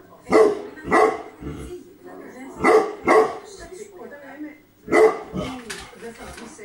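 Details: Tibetan Mastiff Bagira in Greece letting out deep, heavy barks, mostly in pairs, with pauses of a second or more and soft background voices between bursts.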